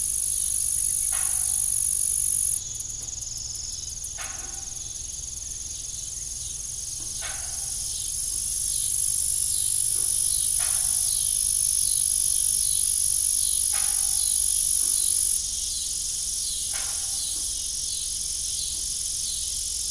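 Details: Crickets chirping in the evening beside an old, rusty farm windmill: a steady high, shrill trill runs throughout, broken by dull metallic knocks and creaks every few seconds, with a faint rhythmic ticking partway through.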